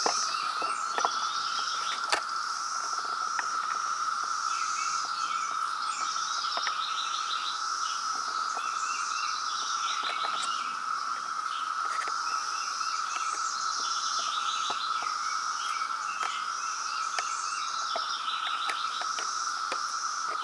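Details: Periodical cicada brood emerging in Reston, Virginia, in 2017, filling the air with a relentless steady drone; repeated high bird chirps and occasional sharp taps sound over the whine.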